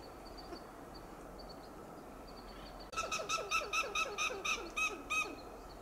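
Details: Alarm calls of a western gray squirrel in a coast live oak, Del Monte Forest, California. Faint high bird notes come first, then a sudden burst of about nine loud, harsh, clucking notes in quick, slightly uneven succession.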